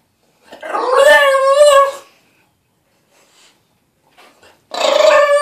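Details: Dog protesting its weekly bath with a long wavering howl lasting over a second, a quiet pause, then another rising yowl begins.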